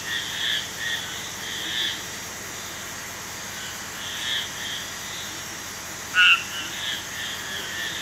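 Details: Several faint marbled tree frog calls in a chorus, high and pulsing, with one sharp, loud, two-toned note ringing out clearly late in the recording.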